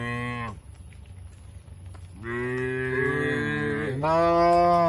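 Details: Cattle grazing on fresh grass in an Indonesian oil palm plantation; a short moo ends, then after a quiet pause a long, rich moo rises and wavers in pitch, swelling louder toward the end.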